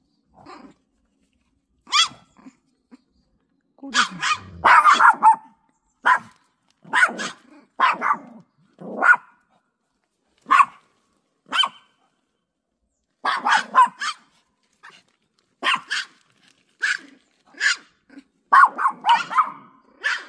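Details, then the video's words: Pet dog at home reacting to an unleashed golden retriever walking past in front of the house: sharp, loud barks in short bursts separated by pauses, some rough and growl-tinged, with brief human speech nearby. "우리집 댕댕이 반응~!!"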